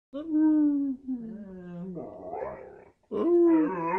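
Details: A 9-year-old male Carolina Dog gives a drawn-out, mid-pitched howl that slowly sags, then a rougher, grainy break and a fresh rising howl; a human voice may be mixed in. Identified as a Carolina Dog.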